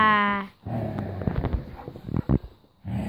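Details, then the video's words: Honey, a female Golden Retriever, growls while refusing to give up her toy: a rough, low, noisy rumble lasting about two seconds with a brief higher voiced sound before it. A person's voice is heard nearby. "Mad golden retriever"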